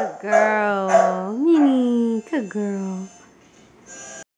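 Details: A female Rottweiler, howling at her own image on a new TV, gives a sustained mournful howl that holds steady, slides upward and tails off, then two brief yelping breaks and a final lower, wavering note.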